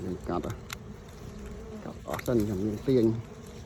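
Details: Bees buzzing near the recorder during a honey harvest from a pair of nests side by side: short wobbling drones, the loudest two passing in the final second and a half, over steady background hiss.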